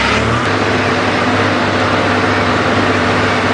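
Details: A steady vehicle engine drones throughout, with no animal calls heard.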